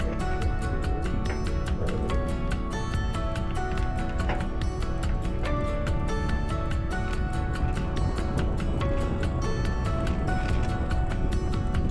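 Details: Upbeat background music with a driving rhythm and melodic tones plays throughout, and no animal voice is heard.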